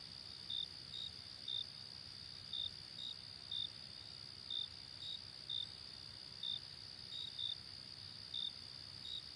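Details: Short, bright cricket chirps repeat roughly once a second, slightly uneven, outdoors on a summer night, over a continuous high ringing trill from more distant insects and a faint low hum.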